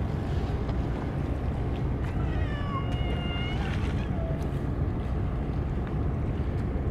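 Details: Stray cats crowding in for a Churu-only feeding; one moderately loud, slightly quavering meow in the middle, then a short faint squeak, with continuous low background rumble.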